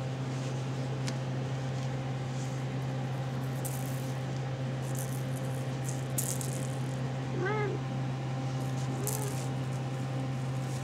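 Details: RagaMuffin kittens at seven and a half weeks, indoors; two short high meows, the first arching up and down with clear overtones, the second softer about a second and a half later, over a steady low hum and room noise.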